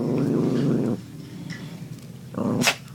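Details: Puppy that gets mad easily growling while being teased indoors; a steady low rumbling growl for about a second, a pause with soft rustling, then the growl resumes briefly, ending with a sharp high noise.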